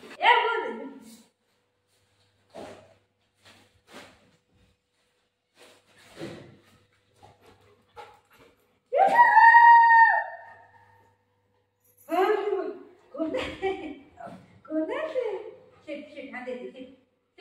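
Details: Buzo, a pet Golden Retriever, plays with its owner at home while opening a parcel, its favourite task. The dog gives scattered short whimpers and one drawn-out, falling, tonal whine near the middle, with a woman's voice speaking in between.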